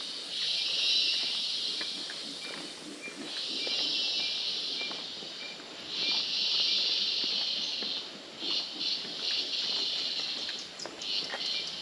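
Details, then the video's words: Cicadas at the start of a trail hike in Mistico Arenal Hanging Bridges Park, La Fortuna, Costa Rica, give very loud, steady high buzzing bursts of two to three seconds, then shorter pulsing buzzes, with faint footsteps beneath. "very loud cicada noises"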